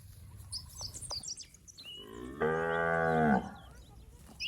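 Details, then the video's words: A healthy fattened cow from a village herd in the rice fields gives one even, droning moo of about a second, with little birds chirping faintly around it. "Suara Sapi Gemuk"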